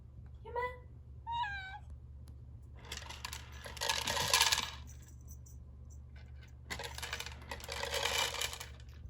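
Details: Male mixed-breed cat named Yume, eager for food in front of an automatic feeder indoors: two short rising-falling meows in the first two seconds, then rattling kibble bursts from the feeder over a low hum.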